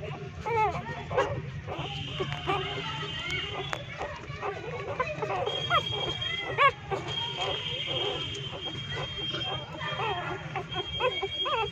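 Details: Three-day-old newborn street puppies living in a pipe, hungry and nursing from their street mother dog, give dense overlapping squeaky whines and short rising-falling squeals, many at once, with a faint steady high tone and background murmur.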